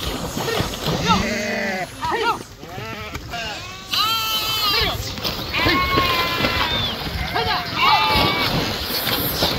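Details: Swimming sheep crossing the Krishna river bleat almost continuously, shaky drawn-out cries from many animals layered together, with churning water behind them.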